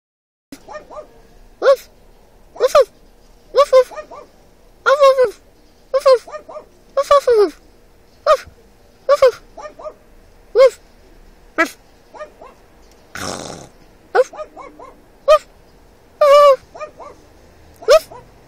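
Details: Dog in another car barking back at a man who imitates its barks. Short, sharp, yelping barks come in quick clusters of two or three, repeated every second or so, with a brief rush of noise midway.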